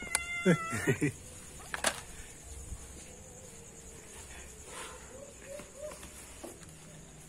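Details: Domestic cat at dinner time gives two or three short, rising meows in the first second, followed by a quiet room hum. A person speaks afterwards.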